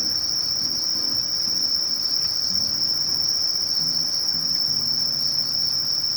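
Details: Conocephalus melaenus, a katydid of grassy bamboo-grass woodland edges in Japan, singing a continuous high, steady buzzing trill without pause throughout, with faint low rumbling in the background.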